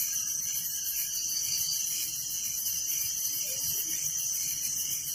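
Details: Crickets chirping at night in a village: a dense, steady high-pitched shimmer of rapid pulsed trills, with a second pulsing band of lower chirps beneath, continuous and unbroken throughout.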